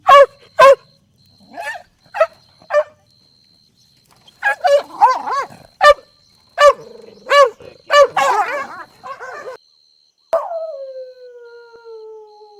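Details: Golden Retriever puppies playing outdoors on a lush green lawn: short sharp yips and barks in irregular bursts, some doubled, then a drawn-out falling whine at the end, over a faint steady high-pitched tone.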